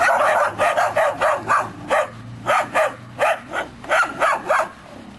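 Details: Three-month-old Belgian Shepherd Groenendael puppies from one litter guard against a stranger who moves about hidden; a steady run of loud, yappy barks repeats roughly every third of a second, several young voices overlapping.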